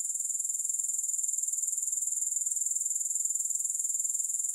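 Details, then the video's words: Grasshopper chorus without music: a bright, sizzling high-pitched trill held steadily throughout, beating evenly at around four pulses per second with no pauses. "Grass Hopper Sounds"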